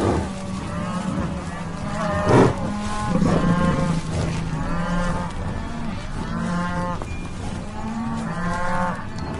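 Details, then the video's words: Cattle lowing repeatedly, long harmonic moos that rise and fall, about five distinct calls over nine seconds, with a low hum underneath and a short sharp knock partway through. "sound of real cows mooo"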